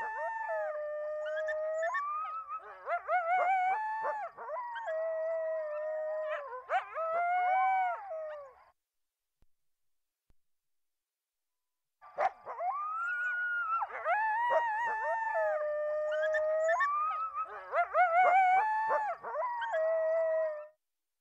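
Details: Coyotes, played back during a talk on coyotes around Bloomfield Township, Michigan, where packs call to declare territory: several voices howl together in wavering, yipping, overlapping tones, two bursts of about eight seconds separated by a short silence.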